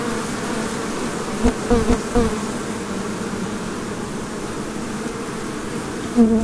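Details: Many busy bees making honey, a loud, steady droning buzz with a low hum throughout and a few brief louder swells near the start and end.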